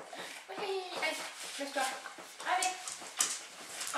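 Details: Evora, a dog, in its first sessions of lure coursing, gives a string of high, tonal whining yelps, several per second with short pauses, while people talk close by.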